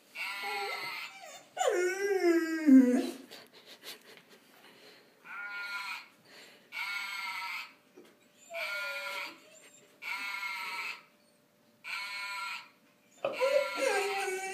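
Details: Singing from a golden retriever in its first vocalizations: a bending, falling whine opens, followed by evenly held tonal notes with pauses between, ending in another rising and falling yelp-like whine.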